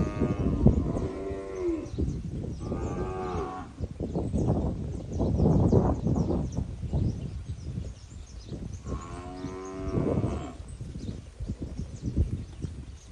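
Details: Eight-month-old Nelore and industrial crossbred calves in a group of forty, Jales region, São Paulo: several drawn-out harmonic moos, some rising then falling, over constant rumbling herd noise and shuffling.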